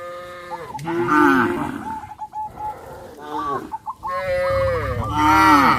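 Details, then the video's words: Cows in a herd heading to the grazing field in hot sunshine give several long, harmonic moos that bend down in pitch, overlapping one another with short pauses between calls. "sound of cows"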